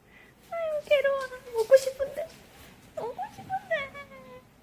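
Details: Poodle puppy indoors, whimpering to be given treats: high tonal whines that slide downward, in two bursts with a short pause between, while people talk over them.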